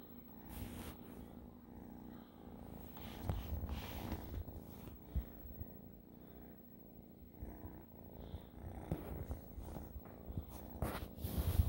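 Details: Domestic cat purring: a steady low rumble that swells and fades, broken by scattered sharp clicks and rustling bursts.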